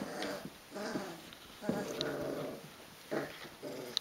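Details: Rhodesian Ridgeback puppies, 22 days old, wrestling together indoors: a string of low rough growls and short grumbling bursts, about four in four seconds, with light background noise.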